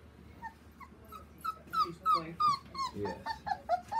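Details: Male chocolate smooth-coated Border Collie puppy giving a rapid run of high, falling whines and yelps, about three per second, growing louder toward the end, indoors and quiet.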